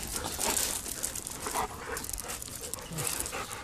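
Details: Tootsie, an adopted female dog once kept by a backyard breeder and rescued by Heart to Heart Rescue, panting steadily: rapid breathy puffs of hissing noise repeating throughout, with faint rustling in the background.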